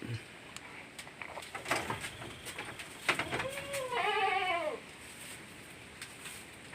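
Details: Pet goat kept by a family, one wavering bleat of about a second near the middle, a quivering harmonic tone that falls at its end, with people talking before and after and faint background rustle.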